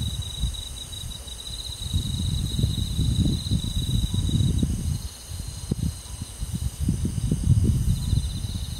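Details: High, even cricket trill on a summer night in rural woodland, pausing briefly partway before resuming, beneath strong gusty low-frequency wind noise.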